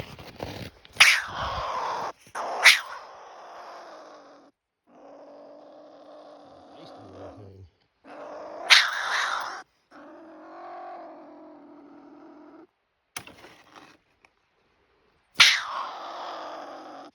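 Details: A pine marten caught in a live cage on a night trapline, tagged Montana wildlife, sounds mad: it growls angrily in low, rough, sustained rumbles broken by sharp spitting bursts.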